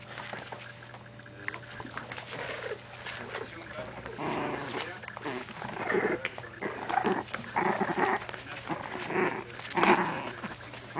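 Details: Bulldog puppies play-fighting, giving rough growls and short yapping bursts that grow louder and more frequent in the second half, with human voices talking in the background.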